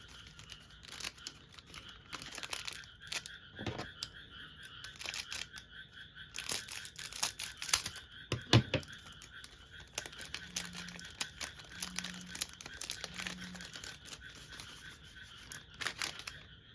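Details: Frogs calling outside an open window at night in Japan, loud enough to be noticed while trading cards are unpacked: a continuous pulsing chorus of rapid rattling croaks, with crinkling and tearing of card packs close by.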